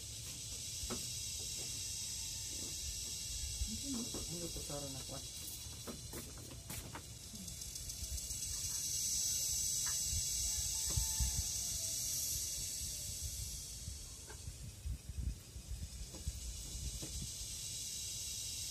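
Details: Philippine cicada (kuliglig) in forest: a continuous high-pitched hiss swelling in the middle, with a person's voice heard briefly, scattered clicks and knocks, and low rumbling.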